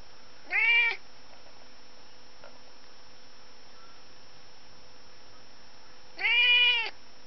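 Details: Zeuss, a pet cat, chases a fly indoors among windows, couches and curtains. Two clear, harmonic-rich meows, each under half a second: one near the start, the other about six seconds later, with a quiet room between.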